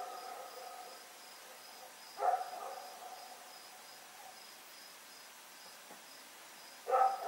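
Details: A dog named Rex barks in the night while running around, recorded 7 October 2018 at Pyrga: two short, harsh barks about five seconds apart over a constant pulsing chorus of crickets.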